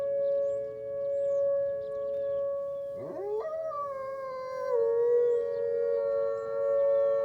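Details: Wolves living on a deck since the snow, howling on a Monday morning: steady held tones, then a quick rising swoop that settles into a long, wavering howl layered with another voice.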